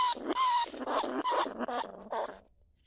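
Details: A caged lesser bandicoot rat, recorded live at Na Lao, Nong Khu Phai, gives a few wavering, squeaky calls to other rats. The calls grow rougher, then stop, and the recording fades into quiet.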